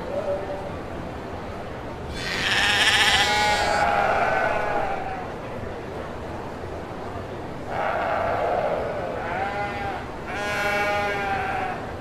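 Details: Kacang goats, males and females, calling in three spaced bursts of harsh, quavering bleats, each lasting one to two seconds, separated by several seconds of noisy background.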